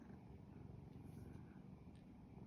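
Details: Domestic cat purring contentedly with its owner, resting indoors: a soft, steady low rumble with a fine pulsing texture, continuous for the whole stretch, quiet and close, with no other clear sounds.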